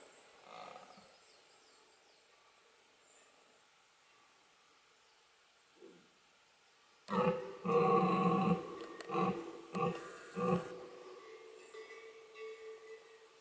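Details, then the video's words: Red deer stag during the 2020 rut in the Hautes-Pyrénées, France: after quiet with faint distant calls, a deep, hoarse roar bursts out, followed by several shorter grunting pulses that fade over a few seconds. "Brame du cerf"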